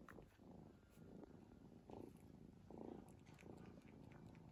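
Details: Sleeping domestic cat snoring indoors: soft, low, rasping breaths swelling in short bursts a little under a second apart, quiet throughout with faint background hiss.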